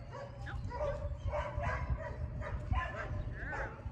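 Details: Female Great Dane working outside in her second week of e-collar training, corrected when she leaves a command; short barking bursts roughly once a second, mixed with a person talking throughout.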